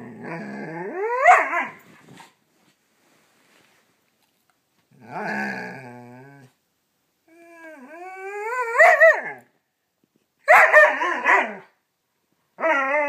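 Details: Scout, a playful pet Siberian Husky pup, burning off energy before bedtime indoors: harmonic yowling and grumbling bursts, some rising and some falling, each one to two seconds long, separated by short silences.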